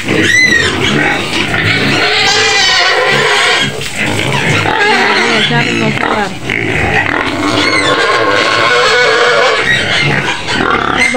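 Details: A white domestic pig in its pen on the outskirts of Medan screams loudly and without pause, apparently demanding food: shrill, harsh squeals over a man's calming voice urging patience.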